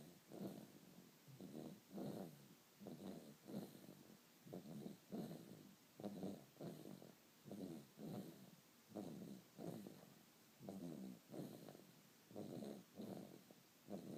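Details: Snoring from a sleeping dog, a regular series of coarse buzzing inhalations and exhalations, around thirty-eight per minute, low-pitched and steady against near silence.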